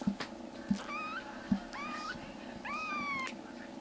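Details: Rescued black kitten in foster care indoors, one of three siblings whose stomachs and eyes are improving, crying loudly: three rising, drawn-out meows that climb and then hold steady, with faint clicks and a low steady hum behind.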